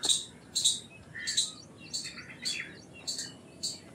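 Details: Loud, piercing chips from an Indian palm squirrel, seven notes in four seconds at an even pace, with a brief bird whistle between them.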